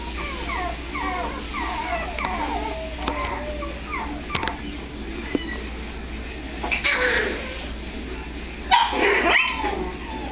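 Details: Miniature Pinscher puppies in California give thin, high falling whimpers for the first few seconds. Loud rustling and handling noise with a faint voice then cover the rest, and only scattered whines break through.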